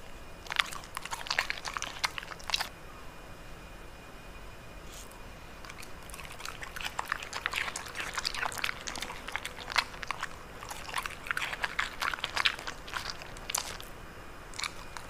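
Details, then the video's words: Dog chewing bitter melon indoors, recorded up close as ASMR: bursts of crunching bites, then a quieter pause of about two seconds, then a long dense stretch of crisp, irregular crunches and chewing. "강아지 먹방 ASMR Dog Eating Bitter Melon Mukbang"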